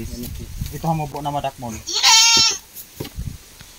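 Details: Farm-raised goat from a herd with many pregnant does and grown males being sorted for sale gives one loud, quavering, high-pitched bleat lasting well under a second, preceded and followed by people talking nearby.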